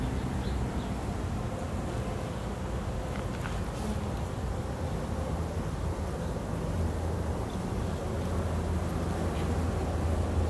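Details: Honey bees kept at a beehive, a dense low steady hum filling the whole recording without breaks, with rough broadband rumble underneath and a few faint brief high ticks.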